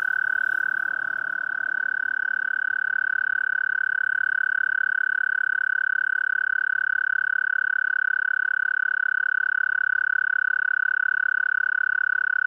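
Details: Male-style mating trill of an American toad (Anaxyrus americanus): one long, even, high-pitched buzzing trill sustained without a break for over twelve seconds, with a faint murmur near the start.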